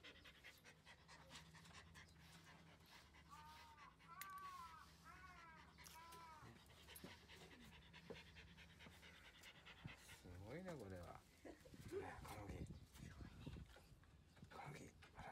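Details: Komugi, a female Mame Shiba born 5 June 2015, pants steadily while being brushed during her shedding season at home; a woman talks softly and warmly over the rhythmic breathing throughout.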